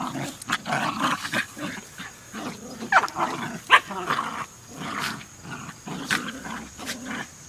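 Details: Three Jack Russell Terriers making low, rumbling growls and soft whines in uneven bursts, broken by several sharp clicks and taps that sound like paws or objects on a hard surface.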